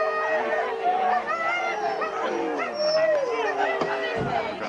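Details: Forest of Dean husky race, November 2001, old VHS recording; excited dogs produce a dense mix of yelps, whines and sliding howls that rise and fall, with chatter from the crowd.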